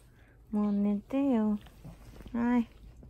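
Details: Cavalier King Charles Spaniel in a Japanese home, doing its insistent nightly pre-sleep ritual indoors. It gives three steady, tonal, drawn-out whines of about half a second each, the middle one wavering, with quiet room noise between.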